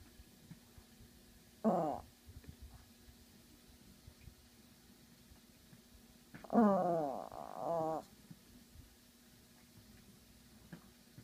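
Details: Female Yorkshire Terrier at a window warning the neighbours, giving one short wavering growl, then a longer modulated growl of about one and a half seconds, with quiet room background between.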